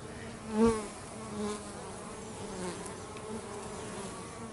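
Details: Bees busy at home, an even low buzzing drone of many insects, with one bee passing loudly close by early on before the hum settles back.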